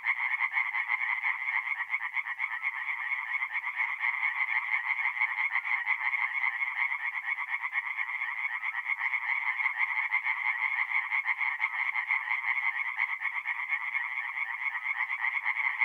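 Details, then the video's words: Mid-April night at a forest pond in north-east Italy, where numerous tree frogs keep up a constant, buzzy rapid-fire croaking chorus, evenly loud from start to finish. "relaxing forest pond by night with singing tree frogs"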